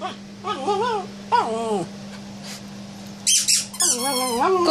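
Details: Male Bichon Frise cross dog in a small room, vocalizing over a toy zebra he wants: two wavering, moaning whines, a pause, then sharp squeaky yelps sliding into a longer warbling whine, with a constant low hum behind.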